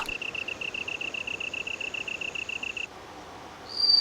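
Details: A bell cricket sings a bright, high chirping trill of quick pulses, made by striking small projections on its wings. It sings in autumn on Buddhist temple grounds, where insects call for mates.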